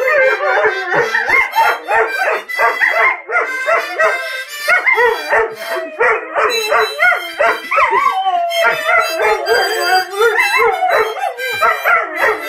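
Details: Two English Pointers howling together, having a blast; wavering, rising and falling howls overlap in a dense chorus over the whole stretch, with a steady harmonica-like musical tone running beneath them.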